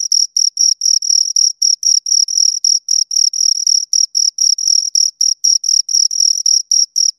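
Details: Two crickets chirp right at the microphone: high, pure-toned pulses in a fast steady beat near four per second, with a faint upper harmonic and silent background.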